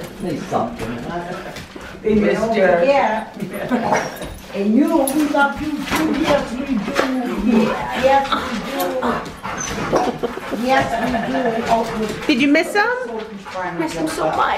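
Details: Excited dogs whimpering and yipping as they are reunited with the owner's sister after three years living in Thailand and returning to the US; high, wavering whines overlap with constant human chatter and laughter indoors.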